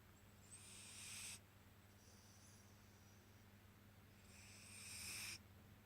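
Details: Sleeping cat snoring loudly: long hissy, breathy bursts of about a second each, returning roughly every four seconds, with quieter airy breaths between them over a steady low hum.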